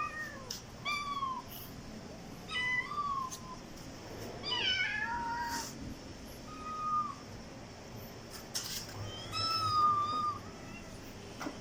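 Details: Kitten and cat meows meant to attract other cats: scattered short, clear meows with a slight rising-falling bend, spaced a second or two apart, in a quiet room.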